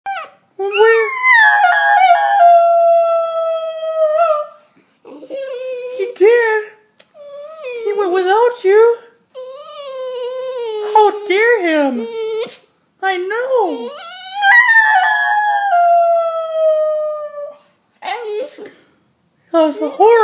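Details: An Italian Greyhound howls and whines in long, wavering cries, upset at being left at home while his big sister goes out for a quick walk.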